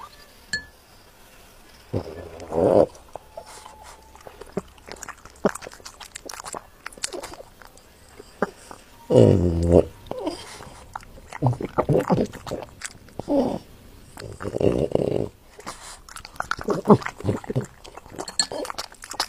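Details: French Bulldog eating: irregular crunchy chewing and biting bursts, dense clusters of clicks and smacks with louder spells near the start, middle and end, separated by quieter pauses in a small indoor space.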